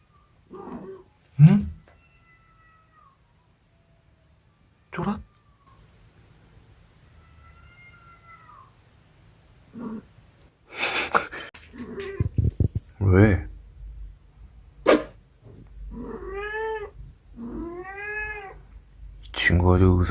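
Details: Munchkin cat named Dongjae giving a few short arching meows in the second half, set among bursts of human talking and brief knocks, with quiet gaps between sounds.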